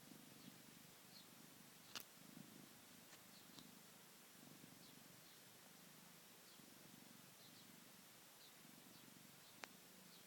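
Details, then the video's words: Cat purring and snoring while asleep, a softer rhythmic low rumble rising and falling with each breath, broken by a few sharp clicks. "Snoring and purring cat"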